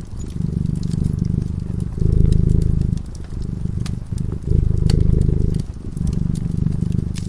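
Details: A dozing cat purring beside a flickering fireplace: a steady low vibration, stronger on alternate breaths every one to two seconds, with scattered crisp pops from the burning logs.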